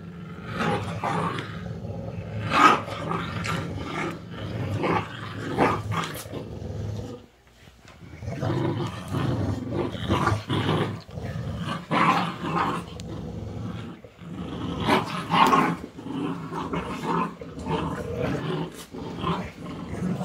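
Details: Dog mother teaching her puppies, trading throaty growls and roaring snarls in irregular clustered bursts, with a short quiet gap near seven seconds, then more rapid, overlapping growling.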